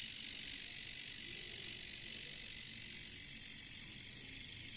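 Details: Katydid (bush cricket, locally caricangkas) calling in a jungle: a steady, dense, high-pitched shrill buzz that runs without pause, swelling slightly in loudness midway, with faint low rustling beneath.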